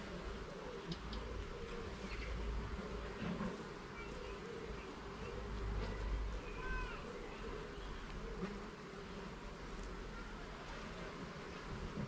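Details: Honey bees droning at an opened garden hive under inspection, the hum partly masked by low rumbling and handling thumps, with a short rising bird-like whistle midway.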